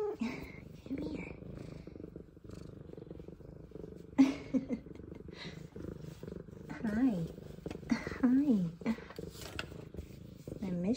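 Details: Two F2 Savannah cats greeting their owner just home from work, indoors: a continuous low purr underlies several short, wavering meows, with a woman's affectionate voice greeting them throughout.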